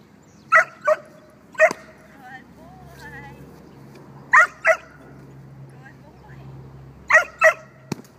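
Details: A six-month-old dog barking during bite work training: sharp, loud barks in quick pairs near the start, middle and end, with quiet gaps and faint speech in between.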